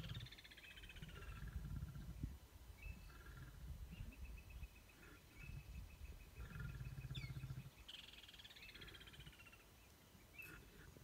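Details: Lions in a stand-off growling: deep, rumbling pulsed bursts in the low range, strongest near the start and again around seven seconds, while birds chirp and trill steadily higher up.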